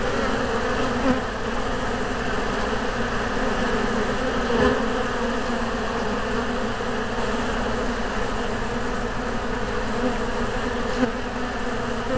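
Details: Many Western honey bees (Apis mellifera) at a yellow hive buzz together in a dense, steady hum.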